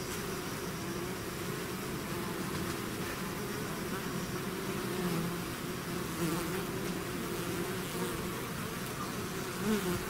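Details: Bees swarming out of their hive make a thick, unbroken humming drone, many wings overlapping into an even low buzz with small wavering swells, a nearer bee briefly louder at the close.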